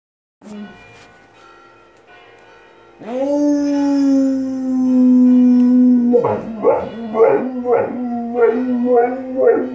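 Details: Female dog happily howling in tune with ringing church bells next door: a short yelp, then a long steady sustained howl, followed by a series of wavering, pulsing howls repeated about twice a second, with bell tones ringing underneath.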